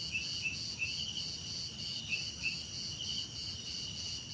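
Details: Crickets pulse in a rapid, regular high trill, several rhythmic beats per second, joined by brief downward-slurred chirps scattered through the first half.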